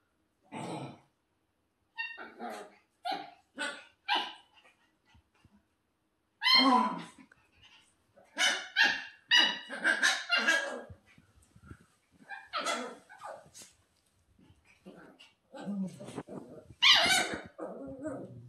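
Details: A 10-week-old female Shiba Inu puppy on her second day home, with other dogs in the house; sharp, bursty high-pitched barks and yelps in clusters separated by short pauses, indoors.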